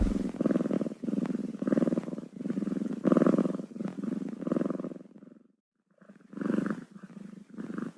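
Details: Close, rhythmic purring from a kitten, low buzzing pulses in regular breath cycles, interrupted by a short pause near the end before resuming.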